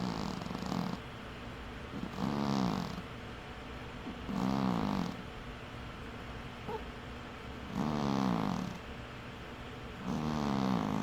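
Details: Sleeping domestic cat snoring: rhythmic raspy breaths roughly every 2.5 seconds, each a low droning inhale with a buzzy wavering tone, separated by quiet pauses and faint background hiss.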